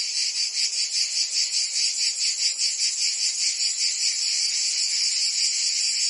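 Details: Cicadas singing in summer in Provence, France: a dense, continuous high buzzing chorus that pulses rhythmically about two or three times a second, with no other sounds standing out.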